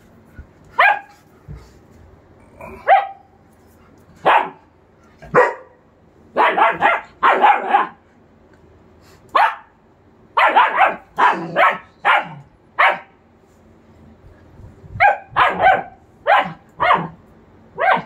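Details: 45-day-old German Shepherd puppy barking in short, high-pitched yaps, single and in quick clusters of two to four, repeated steadily throughout with brief pauses between bursts; no other clear sounds.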